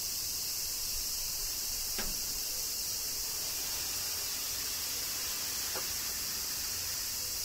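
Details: Kyoto cicadas in summer rain, Japan: a continuous piercing insect drone holds steady throughout, with two short sweeping clicks.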